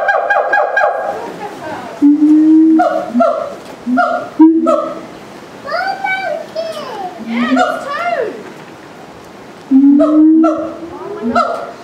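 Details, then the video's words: Siamangs at Auckland Zoo, New Zealand, on September 11, 2012, going wild and scaring kids, loud enough to carry across the whole zoo: strong harmonic whoops that swoop up and down in pitch, with short barking bursts between calls. "Siamangs in Auckland Zoo going crazy & scaring kids"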